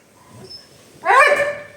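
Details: Pet husky named Yashika, angry about a pet gate, lets out a short rising-then-falling whining yelp after a quiet moment indoors.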